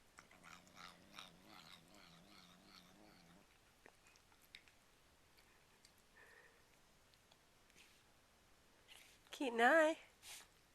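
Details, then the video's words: House cat murmuring while eating treats, noises its owner equates to enjoying the food: a wobbling, buzzy growl for about three seconds, then quiet chewing and clicks, followed by a person's brief spoken question near the end. "the cat caught talking with his mouth full...Funny! (sounds like he is saying "yum yum yum")"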